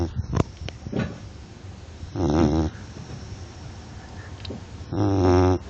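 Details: Labrador Retriever dog snoring. Two rasping, harmonic snores, each just under a second long and about three seconds apart. A few sharp clicks come at the start, with quiet room noise between the snores.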